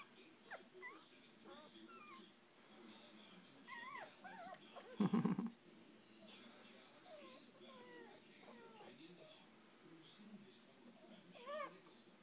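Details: Six-day-old pups of a rescued mother, whimpering in soft, scattered, bending squeaks, interrupted midway by one loud dull thump, with a low hum and faint voices in the room.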